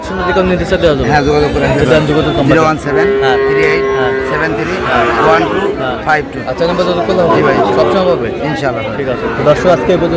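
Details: Sahiwal bull calves at a busy cattle market in Chattogram, Bangladesh, on 1 May: a low, droning moo with a steady tone holds for about three seconds. Bargaining voices and crowd chatter continue throughout.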